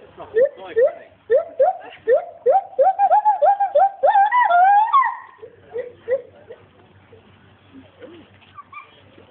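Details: A captive adult male agile gibbon (Hylobates agilis), born around 1996, calls at Monkey World with a run of hooting notes that quicken and climb in pitch. He shares his enclosure with a lar gibbon.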